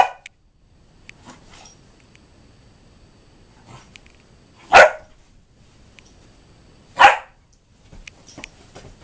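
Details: German Shorthaired Pointer puppy Axel, 11 weeks old, romping excitedly on a sofa in an office: two strong single barks a couple of seconds apart, surrounded by light taps, clicks and quiet movement noises.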